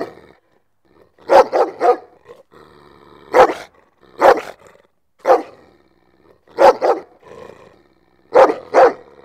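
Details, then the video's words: Dog barks meant to draw other dogs closer, given in doubled or tripled barks roughly every second or two, with a faint low murmur and rustle between them. "Sounds that attract dogs - Barking to make dogs come to you"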